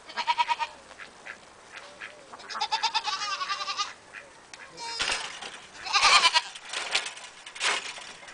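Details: Cameroon goats calling, a rapid run of overlapping shaky, vibrato bleats from several animals, some short and some drawn out, with scattered clicks and rustling between them.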